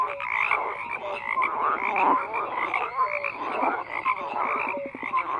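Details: Many frogs croak together in a thick, steady chorus; overlapping grating pulses run beneath short clear notes, and the loudness stays fairly even throughout.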